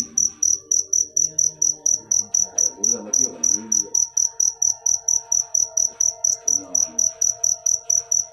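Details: Cricket chirping steadily, high-pitched pulses repeated about four times per second throughout, with faint low murmuring sounds in the background.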